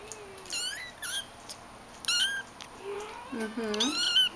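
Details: Shaded golden Persian kittens playing indoors with their mother; several thin, high meows with wavering harmonic bands, some rising then falling, sounding in short bursts, with a woman speaking quietly between them.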